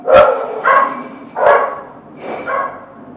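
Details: Dog giving four hoarse, drawn-out barks about once every seven-tenths of a second, each bark fading into the next.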